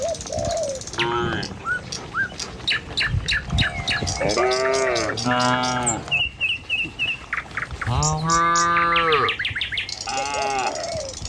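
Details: A herd of tame village cattle heading along the road to the pen at morning gives repeated drawn-out moos, some deep and some higher and wavering, while birds chirp and twitter steadily throughout.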